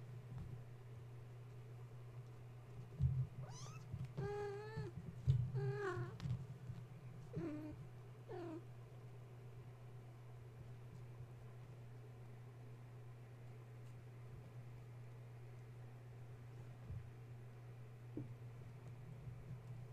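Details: Kittens wound up at bedtime after a space heater was plugged in, climbing and refusing to settle for nursing with mother Gaia: a burst of several quick high meows and squeaks in the middle, followed by long stretches of steady humming.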